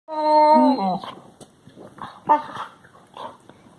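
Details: Labrador Retriever puppies making funny noises, recorded March 16, 2020: a long harmonic whine that wavers then slides downward, followed by scattered softer grunts, yips and breathy sounds.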